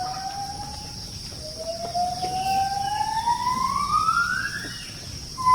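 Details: Gibbon singing near a forest settlement it visits each day to feed on forest fruit: one long, smooth whistled note sweeping steadily upward for over three seconds, with a fainter higher echoing sweep.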